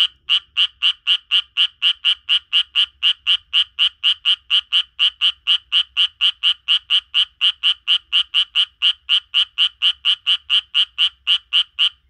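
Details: A Japanese tree frog living in a garden croaks in a fast, steady series of raspy notes, about four each second, while a person sings along in a duet, with laughter.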